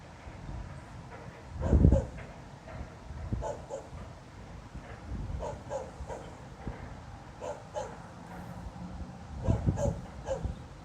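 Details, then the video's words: Night-time barking from a distant dog that has barked all night for no reason, 26 November 2016. Scattered single and double barks, with a dull thump near the start and a low continuous hum beneath. "Снова беспричинно лает собака."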